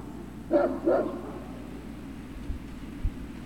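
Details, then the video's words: Great Dane puppies at Puppy Hill on 3 June 2019: two quick high yipping barks close together, then quiet with faint low thumps and a steady background hum. "Great Danes Puppy Hill"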